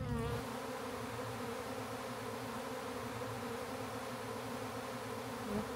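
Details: Honey bees swarming in a backyard as a man captures the swarm for a new hive; a thick, even hum of countless wings holds steady for the whole stretch without pause.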